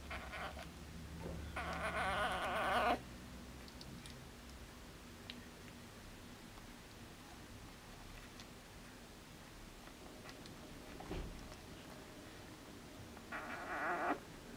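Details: Four-day-old Border Collie puppies from a litter born 29 August 2014, recorded 2 September 2014; two brief high squealing whimpers, one early and one at the very end, with faint low rustling and near-silence between.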